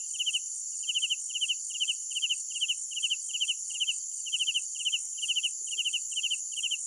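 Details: Nocturnal cricket chorus, shared as calming sound for tinnitus sufferers: trilled chirp bursts come roughly every half second in clustered pairs, layered above a continuous high-pitched insect buzz.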